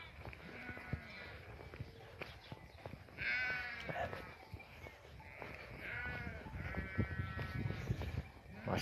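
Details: Sheep on a highland pasture in the morning, grazing where snow has recently melted: quavering, harmonic bleats at about three and six seconds, drawn out over a second each, with a man talking and scattered clicks and rustles throughout.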